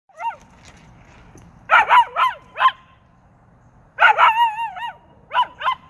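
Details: Mango the dog howling in short bursts, wavering rising-and-falling yodel-like notes in two clusters separated by a quiet pause, with faint low background rumble.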